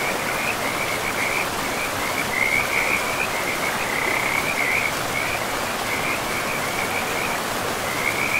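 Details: Chirping frog calls in repeated short bursts, some brighter and louder in the middle, heard over the steady roar of a river in a forest.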